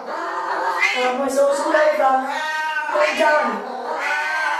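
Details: Siamese cats at shower time, giving long, drawn-out wavering meows and yowls that rise and fall in pitch, sounding almost continuously with brief dips, voices overlapping in a harmonic, nasal tone.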